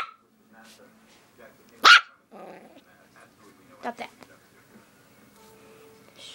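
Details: Nine-week-old Rat Terrier puppy giving one loud, sharp bark early on, then a softer yap, amid quiet stretches and a person's voice scolding it.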